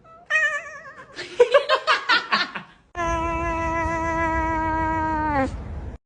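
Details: Cat producing a wavering meow, then a burst of rapid choppy sounds, followed by a long, sustained, steady-pitched meow lasting about two and a half seconds.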